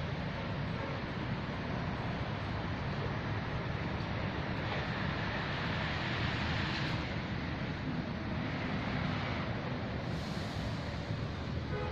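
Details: Steady low rumble of vehicle noise and wind buffeting, with no animal calls heard.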